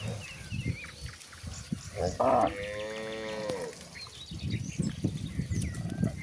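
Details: Cattle roaming toward a very wide pasture: one drawn-out, harmonically rich moo lasting about a second and a half midway, set against rustling outdoor background noise and faint chirps.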